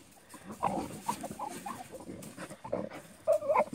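A Bull Terrier makes short, throaty grunting and whining bursts in quick, irregular succession.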